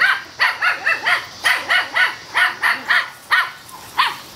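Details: Outdoor play among four male Toy Schnauzer puppies aged seven weeks: a steady string of thin, high-pitched yapping barks, roughly a dozen in four seconds, each with a slight rising-falling whine.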